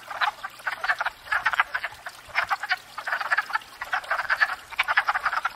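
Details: Wood frogs in spring at a pond after thawing out, gathered to court and breed; a dense chorus of short, rough, duck-like clucking croaks overlapping rapidly, loud bursts pulsing every fraction of a second with no other sounds.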